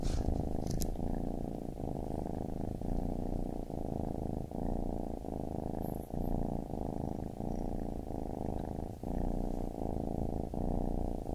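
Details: Continuous low purr of a baby kitten, throbbing in regular breath-length pulses of roughly a second each, close and even in volume.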